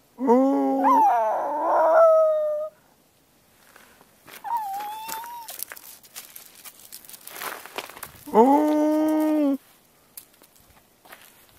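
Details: Male two-year-old Miniature Pinscher howling on the Hiyoriyama summit on 9 December 2014. It began after hearing an ambulance siren and howled again when a playmate dog left. Two long, wavering harmonic howls are heard, with a thinner rising-falling note between them.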